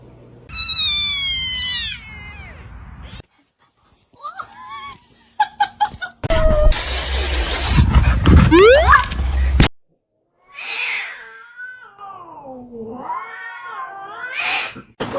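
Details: Kitten meowing: a drawn-out meow falling in pitch at the start, then short clipped sounds and a loud noisy burst, followed by long wavering meows that dip and rise again; bits of speech in the background.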